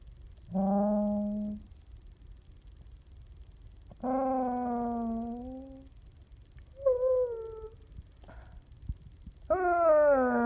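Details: A young, talkative puppy indoors voicing Chewbacca-style groans after being petted; four moaning calls, some level, some rising then falling, the final one swooping upward, separated by short silences.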